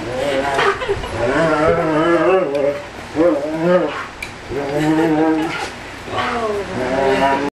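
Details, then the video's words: Giant Schnauzer named Schultz greets his friend Wal, who flew twenty hours from Germany to see him, with drawn-out moaning vocal phrases that waver up and down, about a second each, separated by short pauses. "Talking Giant Schnauzer Schultz"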